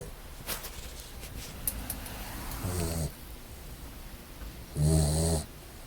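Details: English Mastiff puppy, a brindle, asleep and snoring: two low rumbling snores, one short near three seconds and a stronger one near five seconds, with faint clicks and a quiet indoor background.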